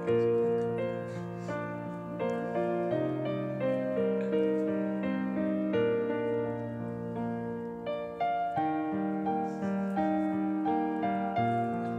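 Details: Gentle keyboard or electric piano melody plays throughout, steady chords and repeated notes, with no animal sounds.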